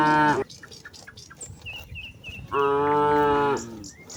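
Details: Cattle from a herd of hundreds grazing in wide rice fields in the late afternoon, one cow calling its companions to head home before dark: a short moo, then a longer harmonic-rich moo about two seconds later, with chirping birds between.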